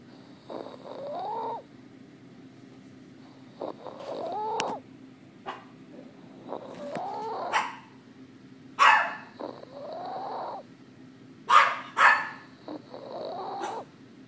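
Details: Pet dog snoring and barking: soft, whining snore tones rise and fall every few seconds, broken by a few short, sharp, muffled barks near the end.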